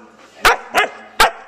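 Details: Female Siberian Husky indoors barking for her owner's attention while the owner tries to watch a shuttle launch; three sharp, short barks about a second apart, with faint background noise between them.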